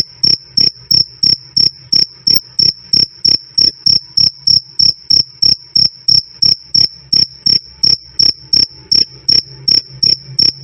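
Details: A cricket sings its bright 'krik krik', loud and clean, in a steady run of about thirty short, ringing, high chirps, roughly three each second, with only a soft low drone behind.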